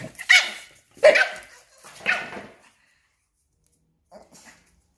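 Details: Small Papillon confronting a larger Belgian Malinois, cornering the big dog; three harsh barks roughly one second apart, followed by silence and a faint brief yelp toward the close.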